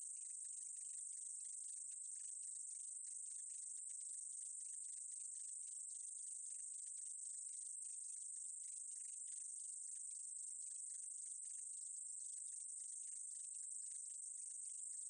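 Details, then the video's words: Meadow katydid recorded by the National Institute of Biological Resources, Korea, 2020: a continuous, very high, hissing buzz held steadily throughout, with a dense flicker of fast ticking pulses running beneath it. "쌕쌔기, 여러번 듣기, 곤충소리"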